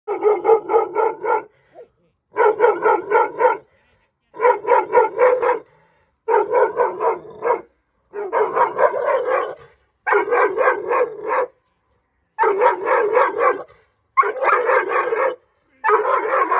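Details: Nine-month-old female Dogo Argentino barking aggressively at strangers: deep, harsh barks in bursts of two or three, each burst about a second long with short pauses, repeated steadily through the recording.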